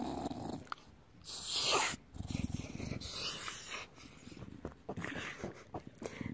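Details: Bulldog having its belly rubbed makes low pulsing grumbles and growls, with rough snorting bursts and a loud breathy rush partway through, indoors.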